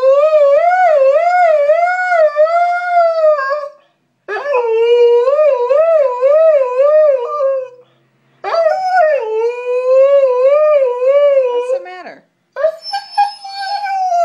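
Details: A female Siberian Husky howls along as her owner sings her name, in long, wavering, tremulous notes, pausing briefly between each drawn-out phrase.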